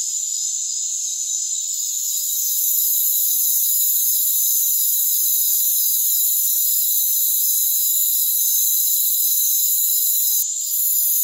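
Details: High, sizzling cricket chorus from a rainforest, softer for the first two seconds, then swelling to a steady, dense wall of overlapping trills, with a short break near the end.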